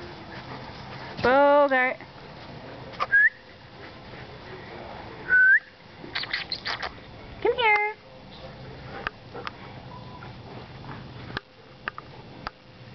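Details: Playful ten-week-old Alaskan Malamute puppy in a backyard with its mother and father gives two drawn-out, warbling yowls that rise and fall, with a couple of short whistles between them and a fairly quiet outdoor background.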